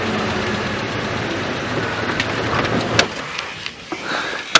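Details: A vehicle engine rumbles steadily, with a few sharp clicks and knocks and no animal calls. No birds or other wildlife stand out above the motor noise.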